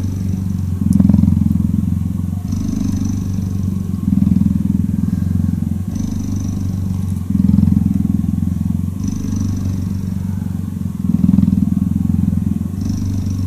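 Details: Long, deep cheetah purr while cuddling, the rapid rumbling pulses rising and falling in a steady breathing rhythm, with a louder phase roughly every two to three seconds.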